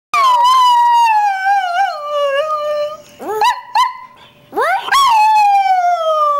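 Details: Greyhound singing, a loud drawn-out howl that starts high and glides slowly downward, with short sharp rising yelps breaking in midway before another long falling howl.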